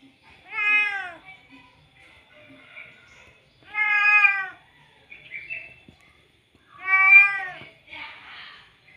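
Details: Male domestic cat meowing to call a female: three long, loud harmonic meows spaced about three seconds apart, each rising then falling, with faint rustling between them.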